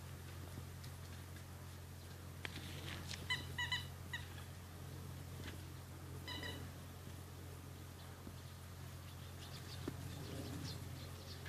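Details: Rhodesian Ridgeback puppies, E-Litter, at 53 days old, give short high harmonic whines and squeaks in scattered bursts over a steady low electrical hum.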